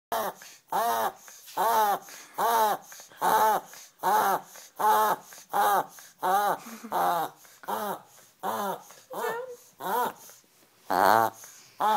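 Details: A Maltese terrier gives a run of short, nasal, duck-like honks, about one a second, the end of its habit of quacking like a duck; Maltese dog.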